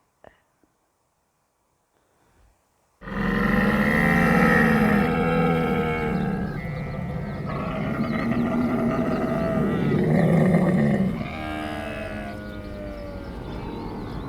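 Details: Camel grunt, called رغاء in Arabic: after three seconds of near silence comes a long, deep, gurgling rumble with rich layered tones. It runs continuously for about eight seconds, then fades into a softer, rougher grumble until the end.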